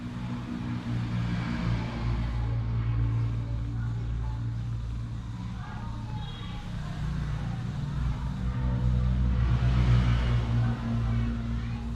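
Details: A deep, steady vehicle engine rumble fills the scene, rising slightly in loudness toward the end, with faint voices in the background and no animal call.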